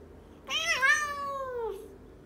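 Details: Domestic house cat replying 'no' to its owner with a meow, a learned response. A loud single meow with a brief wavering rise at the start, then a long, smooth downward glide lasting over a second; quiet room background.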